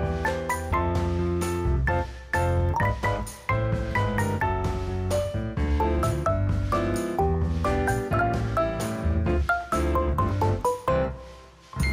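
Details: Bright mallet-percussion music, vibraphone and marimba notes over a steady bass, fills the whole stretch with no animal voice.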